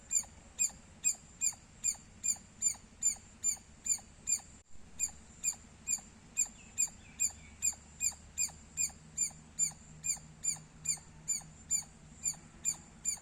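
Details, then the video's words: Squirrel chirping continues for a long stretch: over thirty high, squeaky chirps evenly spaced about two per second, with one momentary break in the sound partway through. "Loud Squirrel Sounds -squirrel chirping Sounds Loud"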